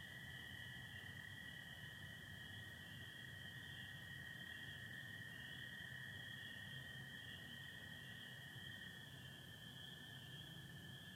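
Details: Spring peepers calling at night in Michigan on 24 April 2025 under stars with some overcast: a dense, steady high-pitched chorus blurs into one continuous ringing band, while American toads hold a lower, unbroken trill beneath.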